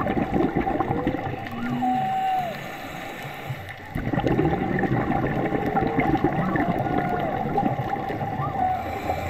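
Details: Underwater whale song recorded on a 15 m dive near Puerto López on 28 July 2024: faint tonal moans and short sliding whistles rise and fall through a heavy crackling hiss.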